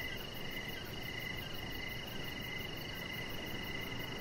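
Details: Crickets chirping outside in the evening by a deck: steady high pulsed chirps and a second slightly higher ringing tone carry throughout, over continuous low background noise.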